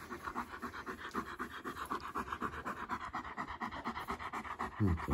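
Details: East European Shepherd male puppy visiting a home, lying down indoors and panting fast and evenly at roughly four breaths per second; a person's voice cuts in at the very end.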